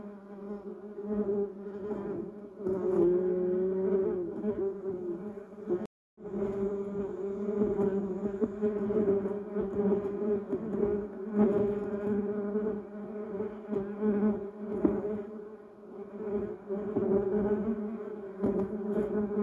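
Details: A group of bumblebees circling yellow cassia and duranta erecta blossoms, giving a deep buzzing drone with layered overtones, broken by a short silent gap about six seconds in, then resuming with shifting intensity.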